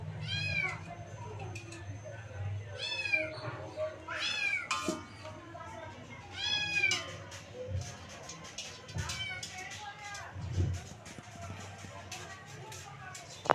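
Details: Three kittens playing together in a playpen: several high, wavering meows with rising and falling pitch come in bursts, some overlapping, amid a low steady hum and light rustling.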